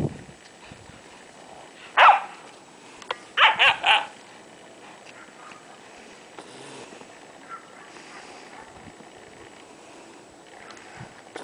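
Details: Leonberger females, aged 11 weeks to 6 years, playing outdoors in the snow: a single loud bark at two seconds, then a quick run of three barks around the fourth second, with quiet, faint background noise between.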